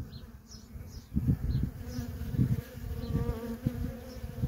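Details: Worker honey bees stream in and out of a feral colony in a constant hum, a low buzzing drone swelling as deep rumbles pulse through, with scattered faint high chirps above.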